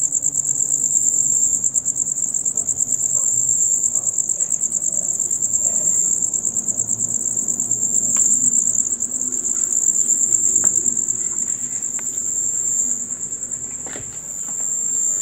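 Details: A chorus of male crickets chirping from dusk until dawn: continuous high, rapid pulsed trilling that fades slightly near the end, with occasional faint clicks and a low hum of ambient noise.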